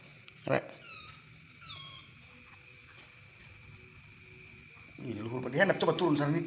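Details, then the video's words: Kittens swarming someone who cannot get to sleep; two short, high, thin mews with a falling pitch about a second apart, then a faint steady hum before a person starts talking loudly. "Diserbu Meong Bocil"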